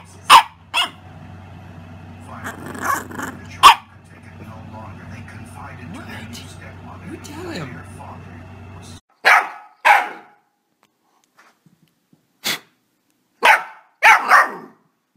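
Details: Puppy barking indoors: sharp, short barks in pairs near the start, one more around four seconds, then a run of five loud yaps toward the end, with a man's voice talking and a low steady hum in the middle.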